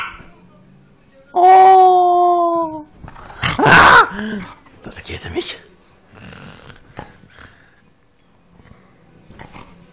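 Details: Dog, said to sound like a pig, gives a sustained, steady whining tone lasting over a second, then a harsh grunting burst; a person indoors repeats coaxing words in German.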